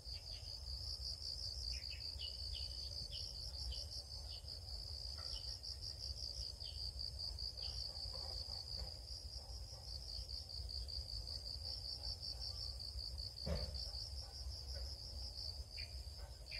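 Crickets chirp in a steady, high, pulsing trill that runs without pause.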